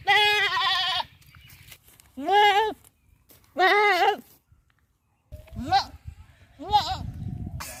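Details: A goat in a village bleats loudly several times, each call a harsh, quavering cry lasting about a second.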